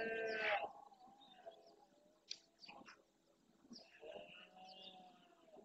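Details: Dawn rut in Doñana's marshland, Spain: a breeding stag among hinds and young deer gives a loud, harmonic-rich opening roar, then a longer lower groaning bellow near the end, with scattered bird chirps between.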